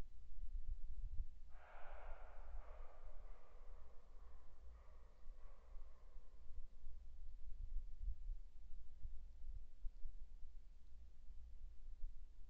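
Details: A fox calls at night, 21:39 on 10 February 2015, with a hoarse, rasping call that fades over several seconds above a steady low rumble, footsteps also heard.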